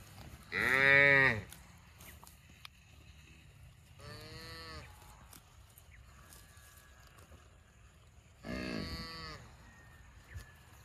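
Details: Cows mooing: a loud, drawn-out harmonic moo near the start, a softer moo around four seconds, and another rising, wavering moo near the end, with quiet background hiss between calls.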